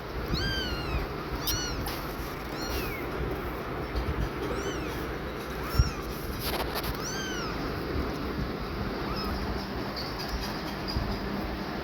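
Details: A worried, exhausted, panting mother cat repeatedly checks on her tiny newborn kittens; high, thin, rising-and-falling mews repeat every second or so through the first half, fading later over steady low background noise.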